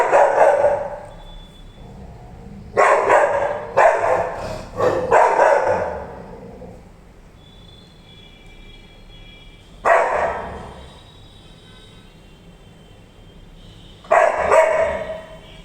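A Rottweiler gives deep, loud barks in short bursts separated by pauses.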